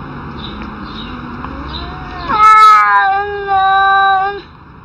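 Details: Arguing cats: after a quiet, low-humming start, a sudden loud, drawn-out yowl with rich harmonics holds steady, breaks briefly, then resumes at the same pitch for about two seconds before cutting off.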